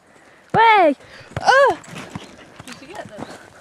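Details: Border Collie on a walk in the park giving two short, loud, clear howl-like cries, each rising then falling, about a second apart, followed by quieter whines and a woman's voice talking to the dog.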